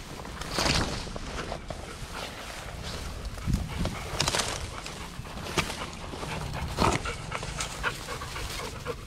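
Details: Seven Golden Retrievers, aged two to nearly eleven, including a mother and her offspring, out on a walk on 25 March 2021: loud breathy panting and sniffing bursts at irregular intervals, with rustling movement throughout.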